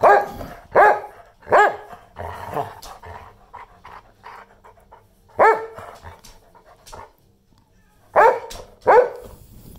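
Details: Aggressive barking from an 11.5-year-old English Springer Spaniel on the attack: bursts of sharp barks, often in quick pairs, broken by a stretch of lower, rougher growling and snuffling sounds before more loud paired barks.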